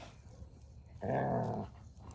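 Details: While playing with a log, his favorite toy, Odin the German Shepherd lets out one harsh, steady growl of about half a second, with quiet rustling before and after.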